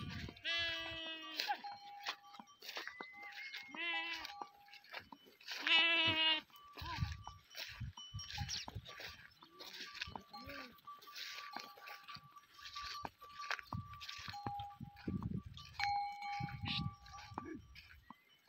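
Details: Goat herd with sheep in the Thar desert, Tharparkar: three loud, quavering bleats in the first six seconds, then softer scattered calls among steady ringing livestock bells and faint voices.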